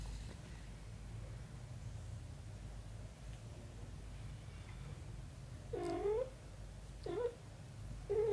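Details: Mother cat with her kitten daughter during an embrace and cleaning: after a low steady hum, three short mewing calls arrive near the end, each a rising-then-falling wavering tone, the last one cut off.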